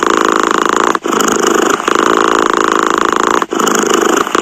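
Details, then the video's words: Cat purring in a steady, rough, rapidly pulsing rumble that breaks off briefly about every two and a half seconds, with two short pauses in the clip. "Tiếng mèo kêu gừ gừ dễ ngủ, thư giãn - The sound of a cat snoring helps you sleep"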